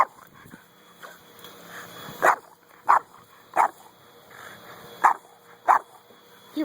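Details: Buddy the dog barks during a frisbee game, sharp single barks repeated roughly every 0.6 to 0.7 seconds, six in a row, over a low steady hum.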